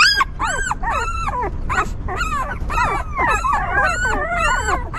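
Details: Stray dog's newborn puppies squeal while their mother cares for them; arched, rising-then-falling whines come in bursts, several pups overlapping toward the end over a steady low hum.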